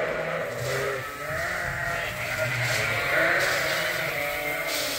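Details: A crowd of lambs, fed from a hand-made bottle feeder at Ewetopia Farms, makes a thick wall of overlapping bleats. The voices blur into a noisy, continuous din with a few clearer wavering cries.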